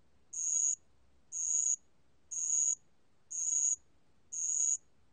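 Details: High, ringing insect trills from a band-legged ground cricket, five evenly spaced bursts of about half a second, one each second, clear against near silence.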